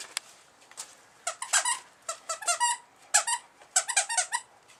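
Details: An 8-week-old male Bull Terrier puppy snores while asleep indoors. Its breaths make high, squeaky, whistling nasal bursts in short clusters, repeating roughly every half second to second with quiet pauses between.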